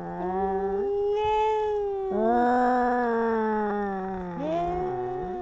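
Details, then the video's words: Kittens in a fight, giving continuous moaning yowls, sustained and slightly wavering, with pitch steps up and down between overlapping drawn-out wails. "Crazy Cat Fight! How Far Will Kittens Go in Arguments?"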